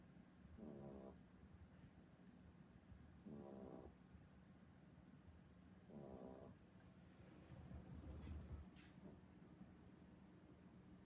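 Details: A pet dog snoring heavily indoors, recorded on 10 April 2016. Soft, rasping snores come in short rhythmic bursts about every two to three seconds over a quiet hum.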